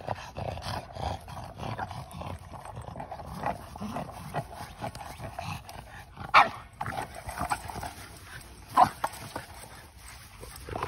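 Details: Male Boston Terrier playing, obsessed with his big blue ball; two brief, sharp barks stand out over constant scuffling and rustling background noise.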